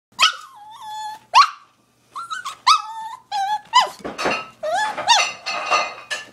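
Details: Dog crying and begging for pizza: a run of high whines and yelps, each a sharp onset sliding down into a thin wavering whistle, about a dozen in six seconds, growing more urgent and breathy.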